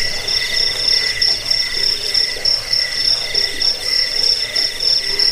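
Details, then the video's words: Crickets heard in a sound meant to scare rats away, soothe to sleep and tutor songbirds, giving fast shrill pulses, about three per second, in short uneven bursts over a steady high hum. "Suara jangkik pengusir tikus pengantar tidur"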